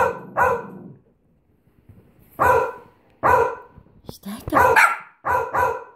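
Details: Bichon Frise barking in single sharp yaps spaced about a second apart, ending in a quicker pair, with a faint human sound between barks.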